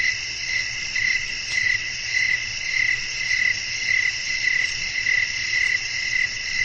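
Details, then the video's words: Night ambience of crickets with blowing wind: regular bright chirps pulse about every half second above a dense shimmering insect hum, low background rumble throughout. "บรรยากาศธรรมชาติยามค่ำคืน เสียงลมพัด จิ้งหรีดร้อง"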